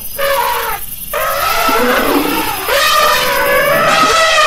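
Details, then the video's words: Elephant trumpets loudly, starting with a short blast, pausing, then breaking into a long, harsh, rising and falling roar rich in layered tones. "Elephant sound"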